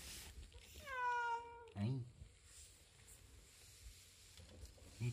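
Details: [['Pet cat Latte scolds its owner indoors after being pestered with demands for food; one drawn-out, slightly rising meow lasting under a second, followed by a short low vocal sound and quiet room noise.']]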